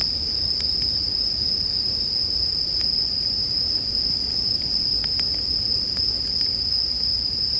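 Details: High, steady ringing from bell crickets runs without a break, accompanied by occasional sharp crackles from a campfire, in a relaxing nighttime sleep soundscape.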